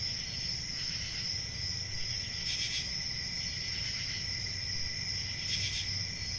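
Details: High, even cricket trill sounding without pause, with a lower secondary tone, two brief louder surges, and a low rumbling background.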